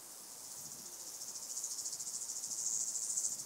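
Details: White-headed toothed grasshopper, Stenobothrus fischeri, at Sandberge Oberweiden, Austria, on 15 July 2020; high, hissing pulsed buzz that swells steadily in loudness over several seconds, pulses repeated about three times a second, noise-reduced recording.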